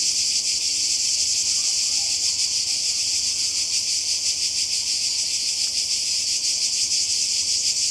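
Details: By the Croatian sea in summer 2020, cicadas produce a continuous high, rasping buzz with rapid pulsation, while faint low sounds, possibly distant voices, sit underneath.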